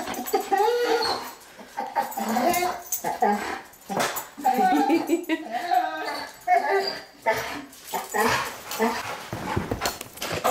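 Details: Pet dog welcoming her owner home, excitedly whining with high, wavering whimpers in bursts over about ten seconds, mixed with a man's voice speaking to her.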